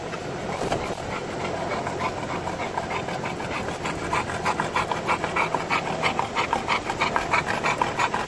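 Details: An Olde English Bulldog, drooling while riding in a car on a sunny day, pants in quick, breathy, rhythmic bursts over a steady engine rumble.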